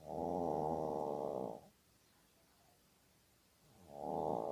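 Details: Maltese dog Ulppukku snoring while asleep, giving a drawn-out raspy buzzing snore lasting over a second, a long silent gap, then the next snore starting.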